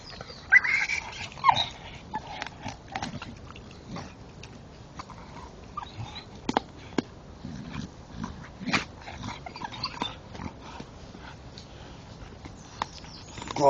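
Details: Male Staffordshire Bull Terrier chewing a tree stump in the dark, giving short scattered whimpers and grunts amid sharp crunching and snapping of wood, with quiet gaps between bursts.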